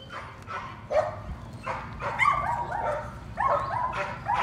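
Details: Patterdale Terrier puppies working rats in their puppy pen during evening training. Several high, whining yelps with rising and falling tones, sounding in short bursts about a second apart, some overlapping, over a low rumbling background.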